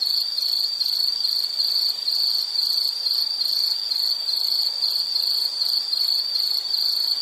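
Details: Insect chorus for calming background: a steady, high, pulsed trill repeating rapidly without pause, with fainter upper bands and no other sounds.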